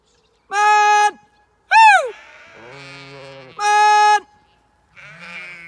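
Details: Zwartbles sheep on a regenerative farm in County Kilkenny, Ireland, being moved to fresh pasture with a dog herding stragglers. Several loud, steady, harmonic bleats of about half a second, one wavering bleat, and lower quieter calls between them.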